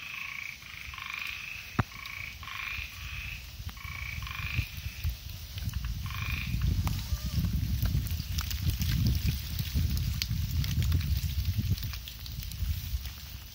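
An ornate narrow-mouthed frog gives short, rasping calls in quick bursts, with rumbling noise behind.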